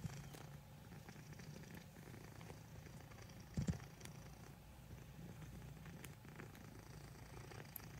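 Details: Black domestic cat purring while kneading, making biscuits indoors; a steady low rumbling purr runs throughout, with a brief louder rustle midway.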